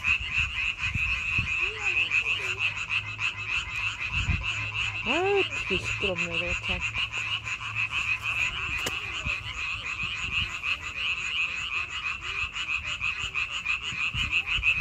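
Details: Frogs in May give a continuous chorus of fast, rattling croaks at high pitch; midway, a few brief rising, whistle-like calls stand out over the steady trilling.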